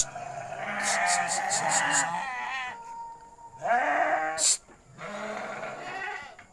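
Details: Goats bleating in their pen at night, several long wavering calls with a sharp clicking burst between them; faint speech and clapping nearby.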